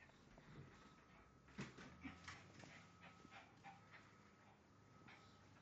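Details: Bijou, a pet dog, trying to escape through a window to see the neighbour, gives short, high whimpering yips in quick uneven bursts, loudest around the middle, over a steady low indoor hum.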